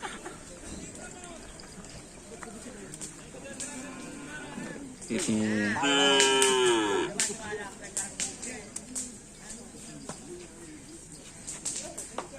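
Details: Madura cattle of the Dor To Dor karapan sapi team training again for bull racing at the Asemanis field; a single long, loud harmonic moo rises then falls midway, amid people talking, laughter and background music.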